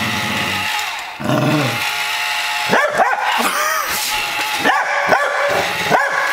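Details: Mia, a pet dog playing against a Buzz Lightyear toy, lets out a quick run of short, sharp barks and yips in the second half, backed by constant electronic chatter and noise from the toy.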